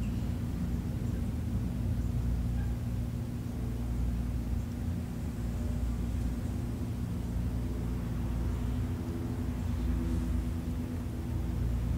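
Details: Only a constant low outdoor rumble like distant traffic or wind is heard, with no animal calls.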